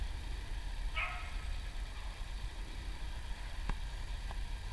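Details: A sika deer (Cervus nippon) stag gives one brief, high, harmonic cry over steady low wind rumble at RSPB Arne, 20 October 2012.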